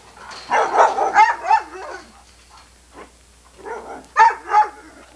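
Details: Sunny, a female Irish Setter and daughter of Ed, filmed in 1987 on VHS, 'talking' when coaxed: a burst of four rough, moaning bark-yowls, a quiet gap, then three more clipped, throaty calls.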